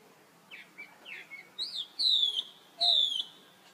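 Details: Young baby monkey calling for help while its sister runs off: a few soft chirps, then two loud, shrill cries sliding downward, each about half a second long.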